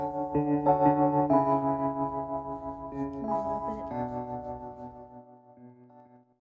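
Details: Soft bell-like keyboard notes ring out and slowly decay to silence, with a faint trace of speech, and no dog or other animal sound.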